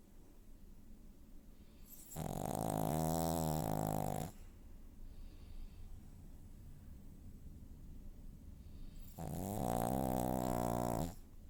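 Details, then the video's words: Loud snores from a pug dog, two drawn-out raspy breaths roughly two seconds long with a fluttering, buzzy texture, spaced about five seconds apart over low background hum. "Pug Dog Snores Loud"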